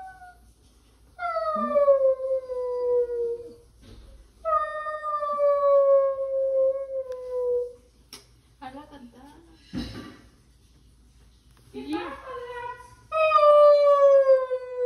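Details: Basset Hound howling during a weekend visit, three long descending howls each lasting a few seconds with pauses between, interrupted midway by a sharp clatter and brief human speech, indoors.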